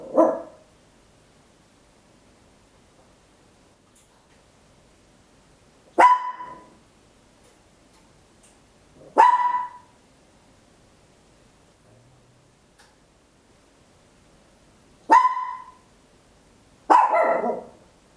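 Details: Home stereo recording of a tiny Papillon dog barking loudly: five short, clipped barks at irregular intervals of two to three seconds, with a faint bark at the start and silence between.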